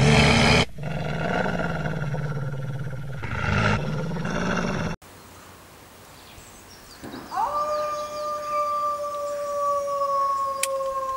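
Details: A coyote gives a long, steady howl that rises sharply, then holds a level, mournful pitch.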